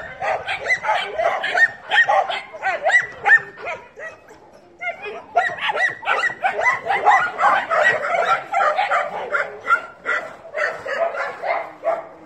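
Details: Dogs in chorus, about 158 sharp yelps and barks a minute piling over one another; the noise drops away briefly around four seconds, then returns just as thick and high-pitched.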